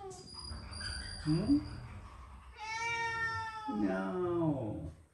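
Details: House cat, one of three pets gathered in the bathroom during bath cleaning, calling with two long meows: the first steady and sustained, the second falling in pitch, with a woman's voice and room sounds beneath.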